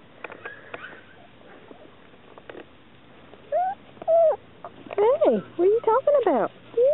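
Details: Chesapeake Bay Retriever puppies: after soft clicks and faint human talk, a burst of short, high, whining squeals starts midway, each bending up and down in pitch, coming in quick irregular succession to the end.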